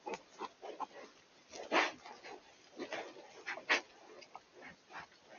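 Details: Wild boar in the Eifel forest in early October 2024 give a series of rough grunts broken by a couple of louder, harsher squeals.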